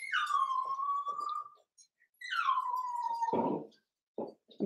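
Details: Seven-week-old Cavalier King Charles Spaniel puppies in an indoor home pen: two long, high whines, each starting high and sliding down to a steady tone lasting over a second, followed by soft shuffling and short thumps.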